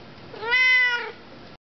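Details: A female Siamese cat gives a single drawn-out meow that rises slightly and falls away, "answering" as her owner asks her questions, an everyday talking exchange.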